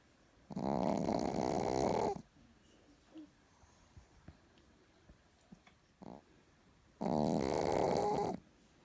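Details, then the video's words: Chihuahua named Richard snoring sweetly while asleep indoors: two long rasping, harmonic snores about 1.5 seconds each, separated by a quiet pause with faint breathing and small rustles. "ЧИХУАХУА РИЧАРД СПИТ И ХРАПИТ СЛАДЕНЬКО"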